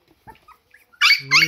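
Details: Siberian Husky puppies trailing their hungry mother for milk give a sudden loud, high squealing whine in two quick bursts near the end, after near silence with faint soft sounds.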